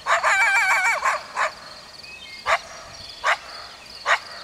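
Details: A coyote opens with a rapid wavering, warbling yip series for about a second, then gives four separate sharp barks spaced roughly a second apart.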